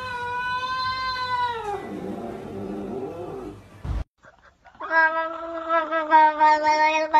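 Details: Pet cat in a compilation of cats talking and yelling like humans; two long, loud, tonal meows, the first steady then dropping, the second wavering and sustained after a brief pause.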